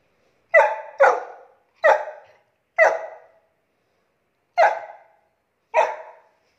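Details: Bruno, a Saint Bernard, barks while playing: six loud, rich barks with strong harmonics, first two in quick succession, then spaced about one second apart with a longer gap before the last pair; quiet between barks.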